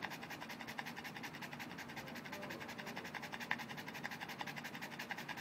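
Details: Indoors, the Boston Terrier Mr. BabyPants cools down after a game with his orange ball, breathing in rapid, rhythmic pants, nearly two per second, each a soft airy rasp, with one sharp click partway through.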